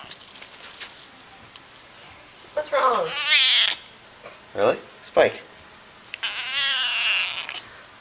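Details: House cat making two long, wavering, whiny meows, with a woman's questioning voice heard between them.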